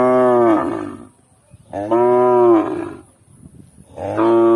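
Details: Young calf mooing loudly three times, deep and richly harmonic, each moo about a second long with a slight rise and fall, spaced about two seconds apart, brief quiet shuffling between calls.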